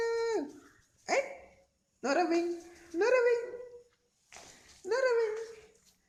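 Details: Sundari, a dog, yawning and making an unusual sound attributed to the cold: four drawn-out, tonal, whining notes with falling then level pitch, separated by short pauses, with brief human speech indoors.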